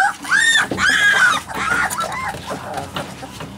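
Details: Alaskan Malamute puppies giving drawn-out, arched whines that rise and fall, two long cries early followed by softer, shorter overlapping whimpers from more than one pup.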